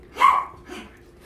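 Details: Dog at a shelter in Ulsan, South Korea, visited by weekend volunteers: one short sharp bark, followed by a weaker second sound, with a little room noise.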